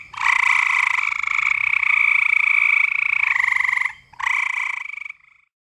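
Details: Gray tree frog calling, one of several frog species recorded together with northern spring peeper and green frog; long musical trills held for seconds at a time, pausing briefly between them, with a strong clear pitch and fine pulsing throughout.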